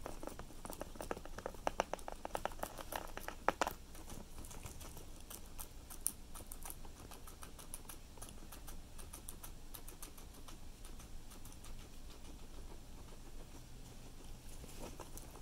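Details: Cilantro being eaten by a guinea pig: a quick burst of sharp, loud bites early on, then softer, steady rhythmic nibbling clicks continuing to the end.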